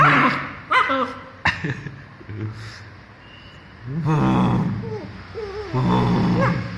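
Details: Playful German Shepherd puppy, two months old, gives a few quick yips, then low rumbling growls that rise into whiny, wavering tones over several seconds indoors.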